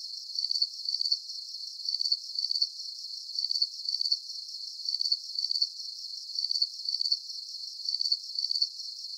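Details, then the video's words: Crickets giving a very regular chirp: thin, high pulsed bursts spaced about half a second apart, evenly sustained, with only a faint background hiss. "Calming Cricket Sounds"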